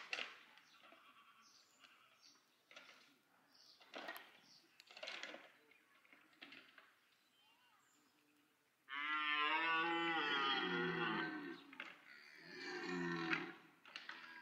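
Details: Red deer during the rut at Parc Sainte-Croix animal park, two evenly matched stags contesting; quiet rustling and soft grunts give way to a loud, sustained, wavering roar, then a second shorter bellow.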